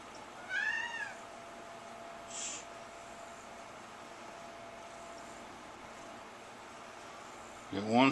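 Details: A Siamese cat, one of three, gives a short meow that rises then falls, and another meow begins at the very end.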